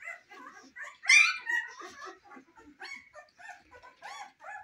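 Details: Cane Corso puppies in their first weeks of life give a busy run of high, squeaky whines and whimpers that overlap one another, with one louder yelp near the start.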